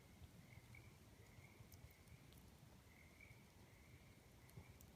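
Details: Tree frogs singing at night beside a campfire: a faint, steady high trilling chorus that swells in short bursts, over a low rumbling background and a few sharp crackles from the fire.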